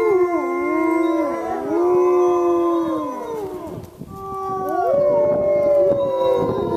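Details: Chorus of wolves at Lakota Wolf Preserve: several drawn-out howls overlap, bending down and up in pitch, briefly thinning midway before rising voices swell again.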